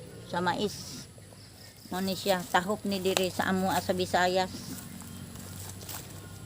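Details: Domestic goats at their evening feeding time, bleating in a quick series of quavering, wavering cries: one short bleat, then a run of about six trembling bleats in close succession, with faint background hum.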